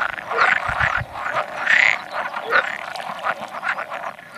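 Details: About 100 male pool frogs croak together while spawning on 16 May 2017, an edible frog calling now and then; loud, overlapping bursts of rattling, nasal croaks rise and fall in quick succession.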